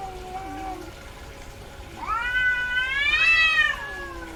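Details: Female domestic cat in heat giving one long drawn-out meow, rising then falling in pitch with rich harmonics, preceded by fainter softer mews in a quiet indoor setting.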